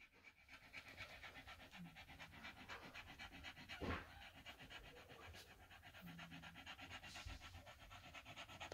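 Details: Staffordshire Bull Terrier mother with her five-day-old puppies, recorded indoors on 1 November 2023 at 21:20. Rapid, steady panting breaths run throughout, with occasional faint squeaks and a soft thump.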